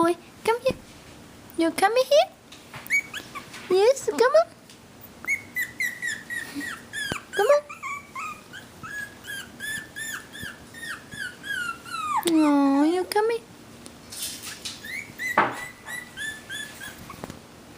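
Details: A litter of four Havanese puppies, one girl and three boys, makes many short high whimpers and squeaks, then a long wavering whine later on. A person is talking and calling them in the background.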